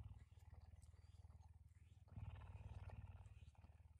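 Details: Pet puma kept in a home, waking its owner at 5 a.m. in the morning; a deep, steady rumbling purr pulsing about three to four times a second, growing louder halfway through.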